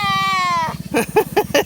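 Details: Nigerian Dwarf does in heat, calling loudly because they want to be with the bucks: a long, slightly falling, nasal harmonic bleat lasting under a second over a low rhythmic rumble, followed by short choppy bursts of other sound.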